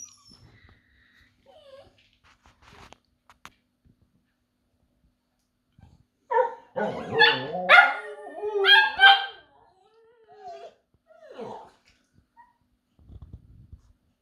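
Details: Young husky cross or pomsky, seven months old, indoors, trying to copy another dog's howl: a few soft whines, then about three seconds of wavering, yowling howl-like notes broken into short yips, followed by quieter whimpers and a person speaking.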